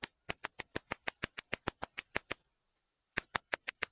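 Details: Tettigoniopsis ashizuriensis katydid, a Japanese species whose song is ultrasonic, matching the pitch of the house bat. It sounds here as sharp, evenly spaced clicks, about six per second: a run of fifteen, a pause under a second, then six more.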